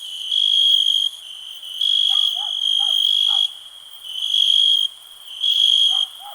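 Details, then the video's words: A cricket gives a shrill, even trill in long bursts with brief pauses between, roughly five bursts in six seconds, while soft, lower, squeaky chirps come in the background. "Nature sounds, cricket relax"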